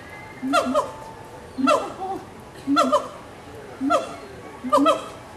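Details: At Animal Kingdom in Walt Disney World, 2018, captive gibbons exchange calls: bright, hooting double notes that bend up and down, spaced roughly a second apart, with a low hum of visitors behind.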